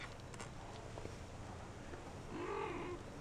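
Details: Four-week-old shaded golden Persian kittens playing in their corral; one short, arched mid-pitched mew with clear overtones near the end, over steady low room hum and quiet voices.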